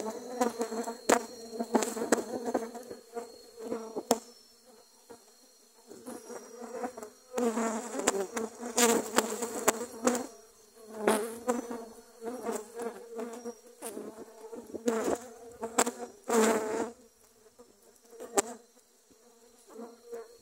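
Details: Attacking dwarf honey bees that drove a grass cutter away in Thailand; many bees buzz continuously, with buzzing that rises and fades as individuals fly past, and with scattered clicks and taps throughout.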